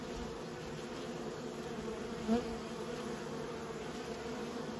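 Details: Honey bees kept by a beekeeper give a steady low hum with a harmonic band, a brief louder buzz midway as one bee passes close.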